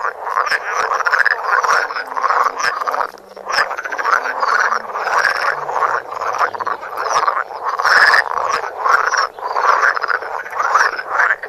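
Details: Frogs filmed close up on a Samsung Galaxy Note, croaking together in a thick, unbroken mass of grating pulsed calls, with a faint low tone gliding downward beneath the chorus.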